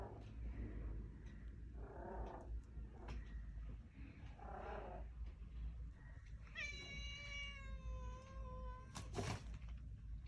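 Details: Cold outside, a new kitten wants into the room but fears the home's own cat; a person murmurs gently before the kitten lets out one long, steady, slightly falling meow, followed by a sharp knock.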